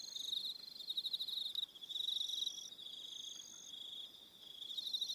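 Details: On New Zealand's Aroha Island at evening, crickets keep up a continuous high trilling, rapid pulses wavering in loudness, with a quieter dip before the chorus swells again.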